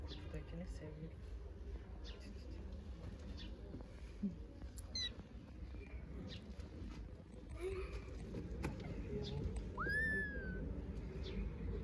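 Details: A kitten that cannot work out how to get down from a stone meows loudly: one clear high rising-then-falling cry near the end, with faint shorter calls earlier, over a low outdoor rumble and murmuring voices.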